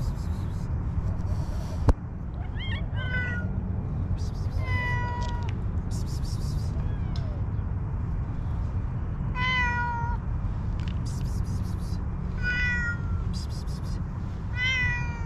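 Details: Homeless, hungry street cats searching for food in garbage meow repeatedly. The meows are clear, harmonic and falling, coming every few seconds over a steady low rumble of traffic, with faint clicks and scraping.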